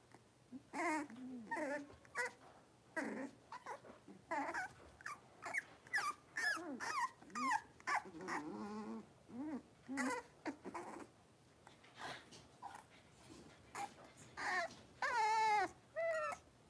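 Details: Five blenheim Cavalier King Charles Spaniel puppies, born at New Year's, playing and wrestling in a home puppy pen: a busy run of short high yips, squeaky whines and growly squeals in quick overlapping bursts, one long wavering whine near the end.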